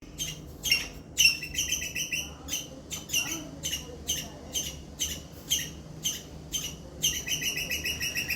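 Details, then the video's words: Squirrel giving a loud distress call that draws adult squirrels in to investigate: sharp, high chirps repeated in quick bursts about twice a second, some run into short chattering trills, over a low background hum. "Loud Squirrel Chirping sound"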